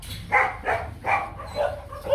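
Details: Young male Rottweiler stud named Nano, bred at the Gervi kennel, searching for a ball; four short, sharp barks in quick succession about every third of a second, then softer yelps, over a low steady hum.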